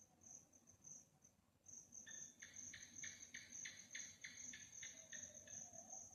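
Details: Cricket chirping at night: a high, pulsed trill, briefly dropping out near the start, then joined by a lower, harsher pulsed call repeated about three times per second for several seconds.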